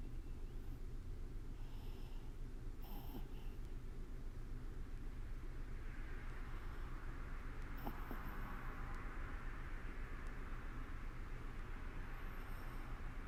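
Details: Toy poodle Sousuke sound asleep indoors, snoring softly: a low, steady rumbling breath close to the floor of the range, with a few brief brighter breathy puffs and a faint room hum throughout.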